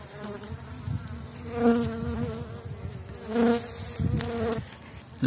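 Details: Strong Elgon bee hive after winter, bees covering seven frames, a kilogram of bee candy placed inside, 2019: continuous deep droning hum that swells in louder surges, with a few knocks and handling noises.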